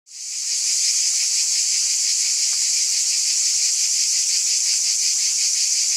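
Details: Cicadas in full chorus, fading in over the first half second into a loud, unbroken high-pitched hiss-like buzz with a faint, fast pulsing texture; no other sounds.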